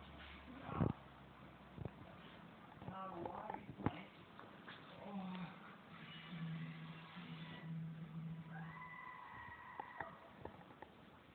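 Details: A female Alaskan Malamute vocalizes with low, drawn-out woo-woo sounds and rising howl-like tones.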